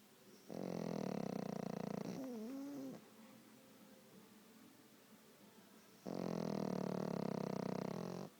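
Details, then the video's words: Sleeping pet dog, one eye open, snores in two long harsh rattling breaths; a short wavering whine-like tone closes the first snore, then a quiet pause before the second loud snore. "Snoring dog"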